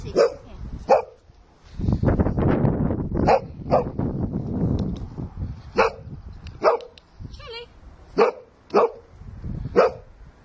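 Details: Sussex Spaniel at play with people and another dog: short, sharp barks repeated roughly every half second to second throughout. A woman's voice and rustling handling noise are heard in the middle.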